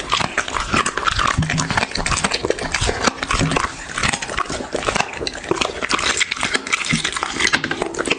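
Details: Dog's feeding noises from an ASMR eating show: loud, steady crunching and smacking, busy and unbroken, with occasional brief lulls.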